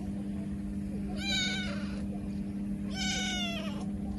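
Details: Motherless kitten crying pitifully, giving two drawn-out, strained meows about a second and a half apart, each bright and harmonic with a gently falling pitch, over a constant low hum.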